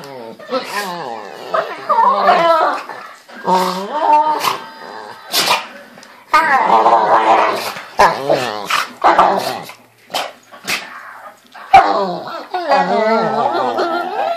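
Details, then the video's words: Pit Bulls playing together in bed in the morning, making screaming and moaning sounds: varied harmonic whines and groans rising and falling in pitch, some growl-like stretches, broken by sharp clicks and short pauses. "Pitbull funny sounds in the dark"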